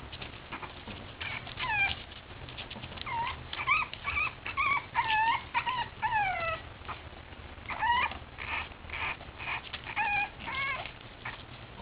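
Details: Boston Terrier puppies at play, giving high whining yelps that rise and fall in short curved notes, coming in quick irregular runs throughout, with soft scuffling between calls.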